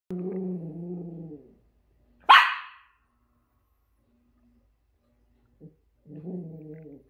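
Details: A Miniature Schnauzer that dislikes a toy reindeer gives a long, throaty, tonal growl, a single sharp bark, then growls again.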